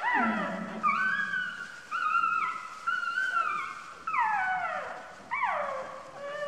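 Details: A puppy born two days earlier squeals under its sitting mother: long drawn whines held steady, then sharp cries that swoop downward, coming roughly once per second.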